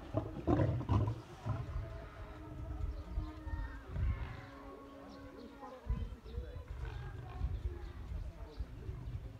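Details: Captive white lions, a pair in a Crimean lion park's middle enclosure, squabble over visitors' treats; harsh snarls erupt early, then low rumbling growls continue under steady human speech.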